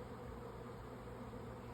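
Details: Swarming honey bees flying around high up on May 24, 2024, before settling nearby; a faint, constant buzzing drone holds steady in pitch throughout.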